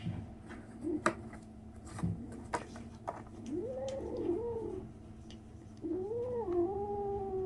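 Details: A 37-day-old kitten making strange noises: two wavering, drawn-out meows in the second half, each bending up and down in pitch, after a run of sharp taps and rustles.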